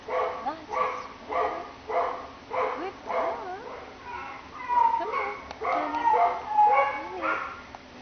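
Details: Reese, a young female Greater Swiss Mountain Dog of about one year, possibly part English Bull Terrier and hard of hearing, awaiting adoption at a shelter, gives a run of short harmonic barks about every half second, with some voice-like sounds mixed in.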